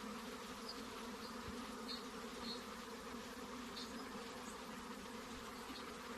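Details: Honey bees buzzing around hives while a beekeeper inspects the boxes and looks for the queen: a steady, dense droning hum with a low fundamental and layered overtones, unbroken throughout, with faint higher whines drifting past.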